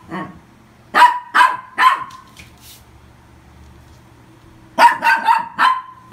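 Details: Toy poodle adopted in August 2018 barking indoors: three high, sharp yaps in quick succession, a pause of almost three seconds, then another rapid run of four barks.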